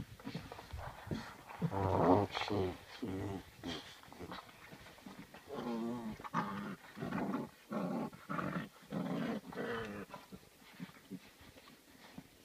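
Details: Rhodesian Ridgeback × Saint Bernard puppies, eight weeks old, give loud, rough, repeated growling bursts several times per second, overlapping one another as if play-fighting, with broadband rustling underneath.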